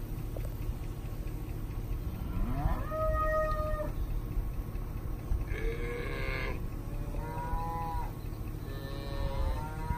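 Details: Angus, Brangus and Black Motley Face cattle in cow-calf pairs, calves tagged to their mothers: several moos follow one another, a rising held bellow, a rougher cry, then shorter lowing calls, with steady low rumble behind.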